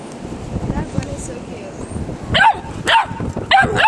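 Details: Tobie, a nine-week-old Doberman puppy, playing with a pet bunny, lets out three short, high yapping barks in the final second and a half. Each is a sharp rising-then-falling burst, preceded by quieter rustling and a human voice.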